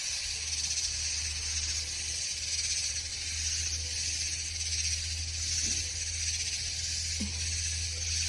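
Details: A dense night chorus of cicadas heard outdoors in the dark, a steady, high, hissing buzz that never lets up; described as a shouting or singing contest among them.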